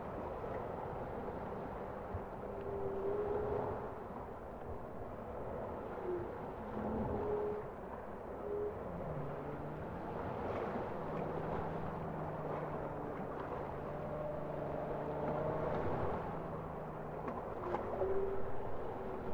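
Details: Bowhead whale song: several faint, low tonal notes, some level hums and short higher moans, drift through a steady rumbling background of underwater noise.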